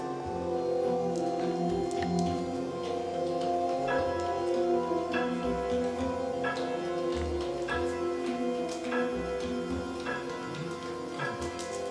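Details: Indian classical music with plucked sitar-like strings and quick tabla drumming plays throughout, and no animal sound is heard.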